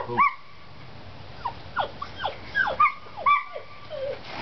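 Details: Collie pups, seven weeks old, playing outdoors, giving a handful of thin whimpers and yips, several sliding sharply downward, scattered across a few seconds over a quiet background.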